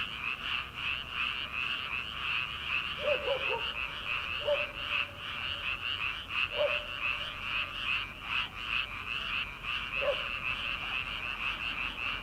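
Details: Frogs calling from rice paddies in early summer before rice planting, late at night: a dense chorus of many overlapping croaking pulses at a steady fast pace, with a few separate short lower notes from another caller scattered through.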